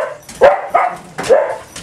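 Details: Three short, clipped barks in quick succession from one of six household pet dogs on a typical morning, with a faint noise between the barks.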